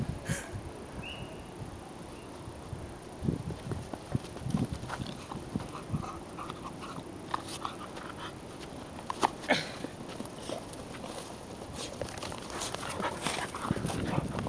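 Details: Two American Pit Bull Terrier siblings, a brother and sister, playing together indoors: scattered scuffling thumps, clicks and short soft vocal bursts, with quiet background hum and a person's voice nearby.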